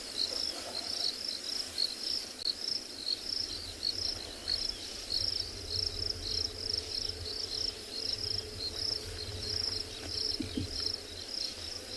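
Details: Crickets chirping around a vehicle on an overcast evening game drive in Tswalu Kalahari Reserve, South Africa, many insects active after rain; steady high pulsed trilling in rapid bursts throughout, with low engine rumble beneath.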